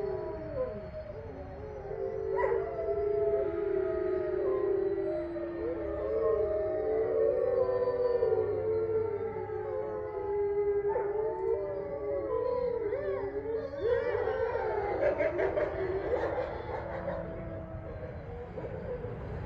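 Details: Full moon chorus from eight resident grey wolves in Ipswich, Massachusetts, recorded November 27, 2023; numerous overlapping howls weave up and down in pitch, building to a louder, rougher, more excited tangle of voices near the end.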